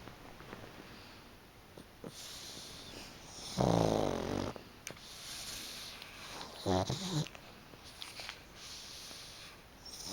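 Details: A sleeping pug named Chicchi snores heavily on a fluffy, freshly aired futon during an afternoon nap. One loud, rough snore is followed by a shorter, fainter one, with soft breathing noise in between.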